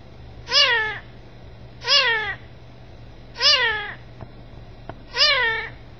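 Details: A kitten gives four bright, arched meows at irregular gaps of roughly one and a half seconds, with two faint soft clicks between the last calls over a low background hum.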